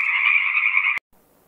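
A frog gives one steady, buzzy, mid-pitched trilling croak for about a second. It cuts off abruptly, leaving faint background hiss.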